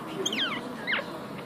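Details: A 1-week-old puppy with its eyes still closed gives two thin, high-pitched squealing whimpers that slide downward in pitch.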